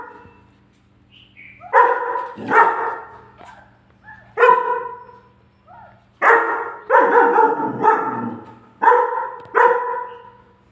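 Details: German Shepherd puppy barking angrily at its own photo on the fridge. Loud, full barks come in irregular bursts of one to three, about seven in all, over a steady low appliance-like hum indoors.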